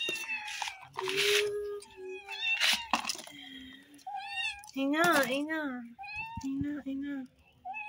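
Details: Hungry kittens waiting for cheese inside a room give a stream of high meows, some wavering and rising-falling, one long quavering cry near the middle, mixed with a person speaking.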